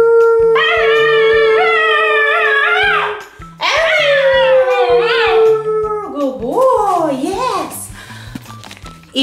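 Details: A Basenji dog answers his owner's imitation basenji howls with long, steady howls that slide into a wavering, warbling yodel over background music, while being taught to sing with treats.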